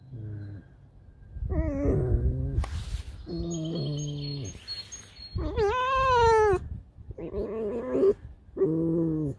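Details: Domestic red fox Alice, roused by dogs, lets out loud nasal whines and moans, then a long high, rising-and-falling wail in the middle, followed by shorter complaining cries; faint music underneath.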